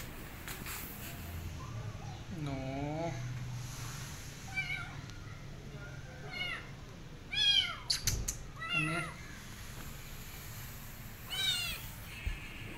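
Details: Rescued kitten mewing after her rescue: a series of high, harmonic meows, some drawn out and falling, others short and rising, spaced irregularly over several seconds, with low background rumble and faint speech.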